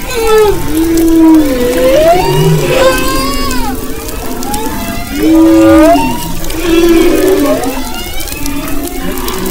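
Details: Off the west coast of Maui in February 2011, humpback whales sing long sweeping moans, curved upward whoops and a low descending groan, repeated in phrases with faint higher harmonics and overlapping distant voices.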